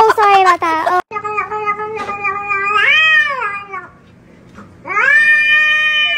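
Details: Cat giving loud, drawn-out meows. A brief harsh cry comes first, then one long sustained meow that bends upward near its end. After a short pause, another long meow follows.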